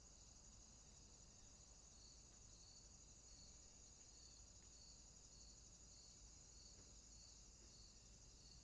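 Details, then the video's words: Crickets calling at night in a swamp: a steady high shrill hum with a second, lower chirping layer pulsing in a regular beat, roughly twice a second, under faint low background rumble. "Night Ambient Sounds, Crickets, swamp sounds at night."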